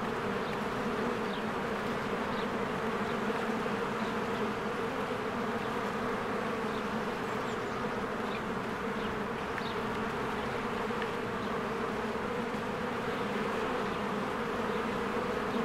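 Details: A beehive in spring with honeybees busily flying in and out in large numbers: an unbroken buzzing roar of wingbeats, steady low hum, and a few faint high chirps flickering in the background.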